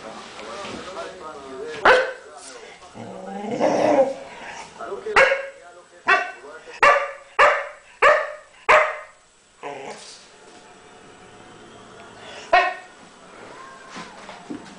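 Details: English Springer Spaniel play-fighting with a cat on a couch. After rustling and soft vocal sounds comes a quick run of about seven clipped barks, then a pause and one more bark near the end.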